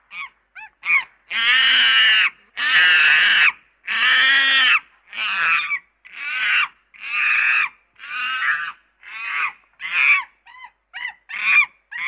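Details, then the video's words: Loud, raspy monkey screams, several long and strained at first, then shorter shrieks and squeaky chirps in quick uneven succession, about fifty calls a minute against silence. "monkey sound"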